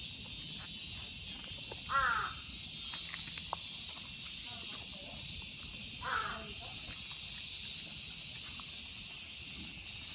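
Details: Cicada chorus in Kitatama District, Tokyo, Japan, where Platypleura kaempferi, Graptopsaltria nigrofuscata and Hyalessa maculaticollis sing: an unbroken high hissing drone, interrupted twice by loud, harsh, cawing calls about four seconds apart, plus scattered clicks.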